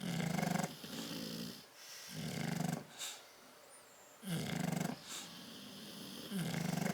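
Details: Tyson and Tyra, bulldogs dozing in a crate on 10/30/12, produce heavy growly snores, a loud rasping rumble opening, a quiet pause with faint breaths, then two more throaty snores building again.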